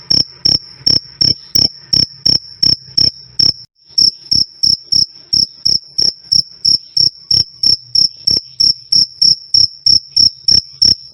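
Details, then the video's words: Cricket calling loudly and clearly, a steady train of sharp, high-pitched chirps at about three per second, with one brief break near the start before the rhythm resumes; no other sounds. "Suara Jangkrik "Krik Krik" Keras Dan Jernih"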